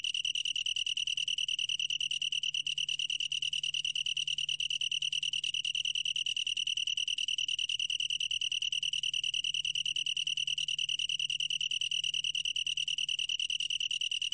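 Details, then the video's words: Steady high trilling of a long-tailed tree cricket, fast regular pulses merging into a continuous ringing tone that never stops, with a quiet low-pitched hum beneath. "긴꼬리, 여러번 듣기, 곤충소리"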